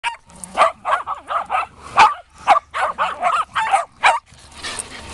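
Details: Shetland Sheepdogs at the 2015 WSR Reunion, playing with a ball: a quick run of sharp, high barks, about two per second for four seconds, ending in a short burst of noise.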